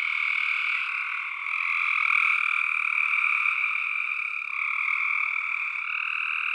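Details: Tree frogs calling together in a thick, ceaseless chorus, a high buzzing wall of overlapping croaks that rises slightly in the middle; no other sounds.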